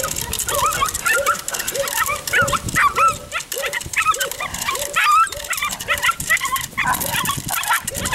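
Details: Six-week-old Belgian Malinois puppy, a police K-9 candidate, during stick-fighting civil work training: a string of a dozen or so high, short yaps in steady succession, with men talking loudly throughout.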